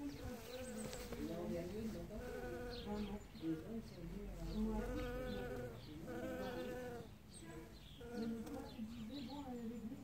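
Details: Bee foraging for pollen as flowers open in early spring, droning in several rising-and-falling swells of buzzing, each a few seconds long, against light bird twittering.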